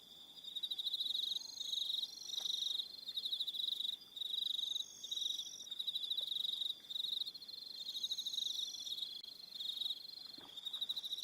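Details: Evening crickets on Aroha Island, New Zealand: a steady high pulsed trill in long bursts with brief gaps, extra higher chirping voices layered above, and faint scattered clicks beneath.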